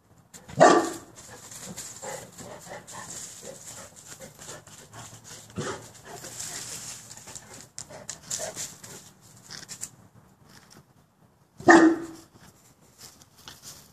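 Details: Boerboel dogs with one sharp, deep bark near the start, a stretch of softer huffs and panting, then a second loud bark near the end before quiet.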